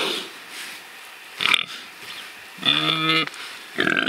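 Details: Pigs rooting in their freedom; a quiet snort, then a distinct half-second tonal squeal with stacked harmonics, followed by another short grunting burst.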